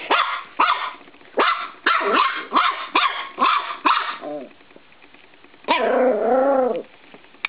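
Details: Playful 13-week-old Norfolk Terrier puppy attacking a spring door stop indoors: a quick run of about eight sharp yappy barks, a brief pause, then one long wavering growl-whine and a final snap.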